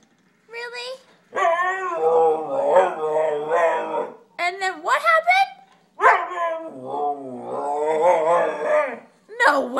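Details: Siberian Husky pup 'talking' with its owner, who stares at it to prompt it to speak: drawn-out, wavering howl-like vocal bursts that rise and fall in pitch, separated by short pauses, with the owner's voice chiming in.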